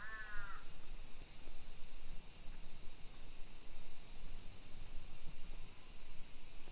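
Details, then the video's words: A continuous high-pitched cicada drone fills a summer afternoon walk through a hillside residential area of Nisshin, Aichi, Japan, on 28 July 2021, opening with one harsh crow caw and then only the even buzzing. "Summer Cicadas Sounds"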